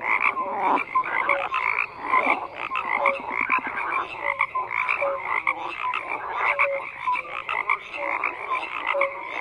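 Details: Continuous croaking by many frogs, buzzy rattles layered with frequent brief tonal chirps, a thick unvarying chorus with no other sounds.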